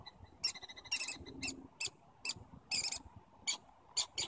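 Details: Squirrels communicating in Stanley Park with bursts of harsh, high squeaky chatter, short clustered notes grouped in quick runs with brief pauses between.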